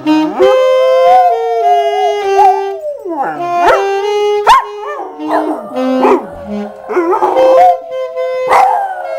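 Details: A 6.5-year-old Labrador Retriever gives drawn-out, quavering howls that swoop up and down, with breaks between phrases, singing along to The Star-Spangled Banner played on an instrument that is at times louder than the dog.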